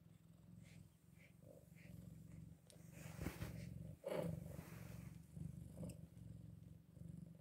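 Scottish Fold kittens eight days old, with a steady low rumbling purr and a brief soft squeak.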